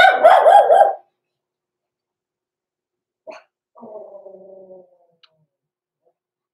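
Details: Indoor puppy pen holding six-week-old blenheim Cavalier King Charles Spaniel pups: one wavering, harmonic bark, then a quiet falling whimper after a silence.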